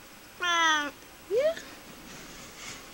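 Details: Pet cat Hermy, a tolerant female who complained loudly when upset, lets out a long flat harmonic meow followed by a short upward-sweeping chirp-like meow in a quiet room.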